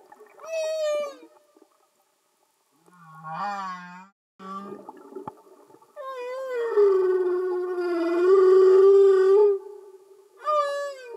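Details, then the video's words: Singing humpback whales recorded underwater, no music added: long moaning tonal units, some rising and falling, a low groan near four seconds, then a sustained wavering wail lasting about four seconds, separated by short silences. "Amazing singing Humpback Whales"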